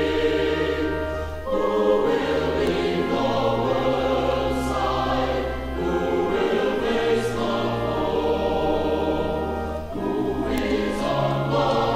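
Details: Choral music fills the recording, with sustained sung voices and shifting chords over a deep held bass, and no animal voices can be heard.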